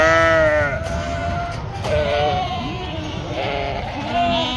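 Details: A ewe among farm sheep in northern Spain, a clear drawn-out bleat at the start followed by softer quavering bleats and faint background voices.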